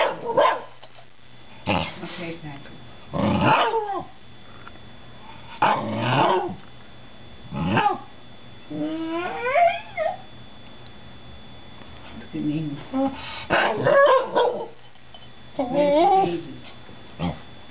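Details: Pet Shiba Inu vocalizing at two rescued housemate cats: a string of short, bending yowls and growly grumbles, some rising and falling quickly, mixed with soft human speech in a quiet room.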